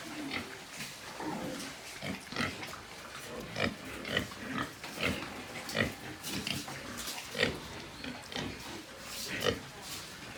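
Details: White farm pigs in Nepal grunting and snuffling repeatedly, short harsh bursts coming roughly every half second to second, with occasional squeaky notes and faint voices in the background.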